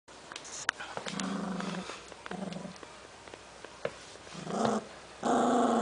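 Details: Milton, an 11-week-old Cavalier King Charles Spaniel puppy, guards a newly found snack with a series of low, rumbling growls in short bursts, ending in a louder, sustained snarl.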